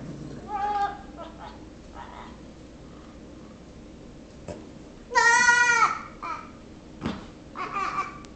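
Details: Six-week-old Nigerian Dwarf baby goat pestering a patient Yorkshire Terrier indoors; a loud wavering harmonic bleat stands out midway, with shorter bleats and soft babbling-like vocal sounds before and after.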